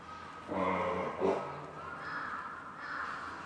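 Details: Captive eastern timber wolf family at Maruyama Zoo in snow, March 15, 2011: father aged five, mother aged ten and ten-month-old male howling together after the mother answers an ambulance siren; short harmonic wavering notes, then sustained higher overlapping tones.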